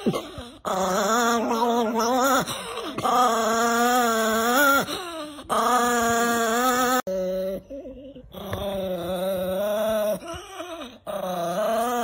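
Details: Nikki, an angry female Chihuahua, producing sustained moaning growls with wavering pitch in long stretches, stopping and starting several times. A person's voice is heard around them.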